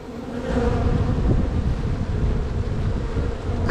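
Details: Honey bees in a strong spring hive, opened during a walk-away split while the beekeeper checks queen cells, some opened and some unsealed. A steady humming drone sits under heavy low rumble from handling and wind.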